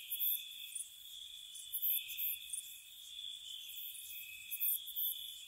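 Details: Spring night crickets by a cottage, giving a continuous high-pitched ringing drone with sharp chirp bursts popping above it at uneven intervals.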